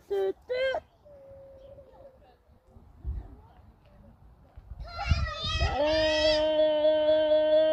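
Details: Farm goat giving a long, steady, nasal bleat that holds one pitch for about two seconds near the end. Two short bleats come first, and there are quiet rustling and handling noises in between.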